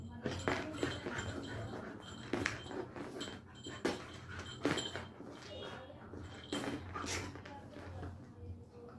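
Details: An angry Labrador Retriever puppy gives short, sharp, broadband yaps at irregular intervals of one to two seconds, with human voices murmuring in the background.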